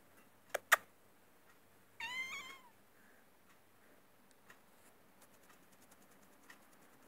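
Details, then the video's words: House cat giving one short meow indoors, a brief nasal call rising then falling, preceded by two sharp clicks or taps and followed by near silence with faint small room noises. "Hina maullando"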